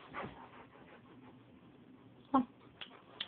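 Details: Rottweiler Angus, a male, 170 pounds and two and a half years old, during indoor play, gives a single short, loud bark about two seconds in. A soft yip or two follows, with a person's voice urging him up, on a distorted phone recording.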